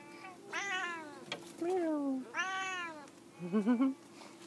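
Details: One of two F2 jungle cat hybrids, Big boy or Auntie Suzy, calling from a jungle gym: two arching meows a second apart, a soft low moan between, then a short warbling, chirpy trill at the end over a constant hum.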